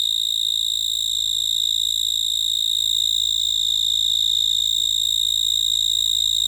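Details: A cricket calls with a continuous piercing high trill, finely pulsed and highly regular, holding the same pitch and volume throughout, over a barely audible low background hum.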